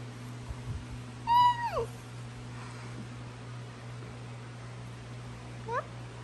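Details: Basenji, a barkless breed, meowing indoors on request: one clear harmonic yowl held level then dropping sharply, followed seconds later by a faint short rising squeak over a steady low hum.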